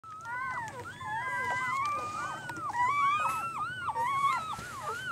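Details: Newborn puppies, 24 hours old, crying continuously; several thin, high squealing whines overlap, each arching up and down, repeated without pause over a low steady hum.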